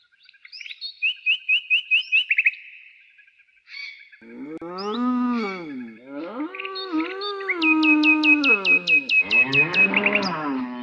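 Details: Cow lowing outdoors in nature: several drawn-out, wavering moos that rise and fall in pitch over about six seconds, overlapped by rapid, repeated bird chirps and tweets before and during the calls.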